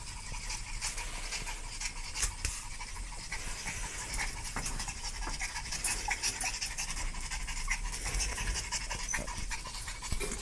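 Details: Steady, rapid dog panting, a continuous run of hissing breath strokes at fairly even pace, soft and close, with no other clear sounds.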